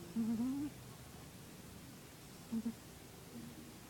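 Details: Minos, a pet cat, snoring while asleep: soft, low, slightly rising hums, one longer and one brief, about two and a half seconds apart, in a quiet indoor room.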